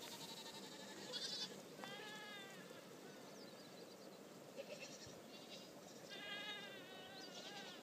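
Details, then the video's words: Happy goats at Lien in Øystre Slidre, Valdres, Norway; several goats trading drawn-out, trembling bleats, some bending downward in pitch, spaced irregularly over a low rustling background. "Happy goats"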